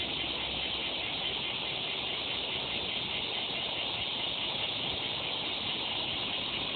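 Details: Cicada song: a continuous, even, hissing buzz with no breaks, dense and steady throughout, with no other clear sounds.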